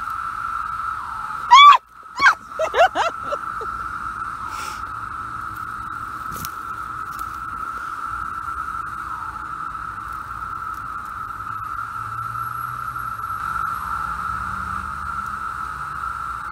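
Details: A male aggregation of Brood VI 17-year periodical cicadas (Magicicada), millions per acre near Hendersonville, North Carolina, sings as a steady droning chorus holding one even pitch throughout.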